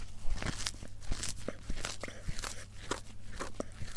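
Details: Indoors, a cat eats for a close-miked ASMR mukbang, producing loud, dense crunches and biting clicks in quick succession against a constant low electrical hum.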